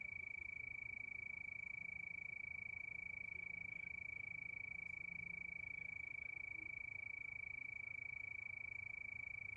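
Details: Crickets at night under the moon, a steady chorus: one unbroken high, pure tone pulsing quickly and evenly, about three pulses a second, over a faint low rumble.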